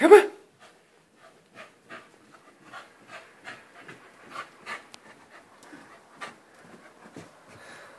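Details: A female Corgi, Sable, pants in quick, breathy puffs after one sharp opening sound while playing fetch with her toy up and down the stairs.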